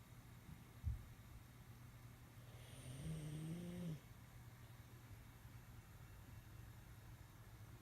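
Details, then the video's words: Sleeping pug Bennie lets out a single drawn-out, low, rasping snore near the middle, lasting about a second and a half and rising slightly before it stops. A brief knock comes earlier, over a constant low background hum. "Bennie The Pug sleeping and snoring"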